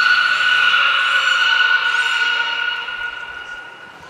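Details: Belugas Gray, Nana and Mirai in training at Port of Nagoya Public Aquarium on 10 February 2024: one long, steady, harmonic-rich squealing tone that holds its pitch, then slowly fades away.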